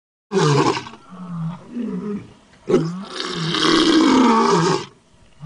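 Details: A reported tiger near Ramnagar village in Sitamarhi district gives two harsh, rasping roars, the second long and rumbling, with a low groan between them.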